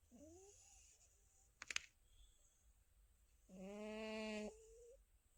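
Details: Indoors, the contented, dreaming cat Tabbsy gives one low, rasping, harmonic snore lasting about a second, ending in a thin whistle. Earlier come a faint rising squeak and a brief sharp click, all over a low background hum.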